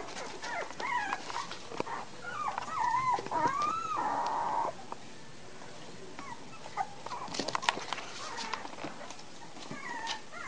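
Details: American Bulldog puppies at three weeks of age, 27 March 2008, whine in bending, drawn-out squeals that fade into a quieter stretch, then return as sparse faint whimpers mixed with clicks and small knocks.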